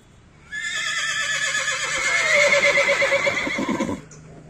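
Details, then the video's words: A horse gives one long, loud neigh lasting about three and a half seconds, rich and wavering, its pitch drifting gradually lower with a trembling vibrato toward the end before it stops sharply. "horse sounds"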